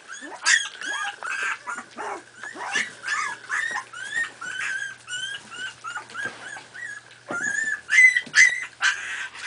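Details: Several 4.5-week-old Miniature Pinscher puppies at play give a dense, overlapping stream of high squeaky yips and whining whimpers, many with bent or rising pitch, coming in quick uneven bursts with brief louder squeals.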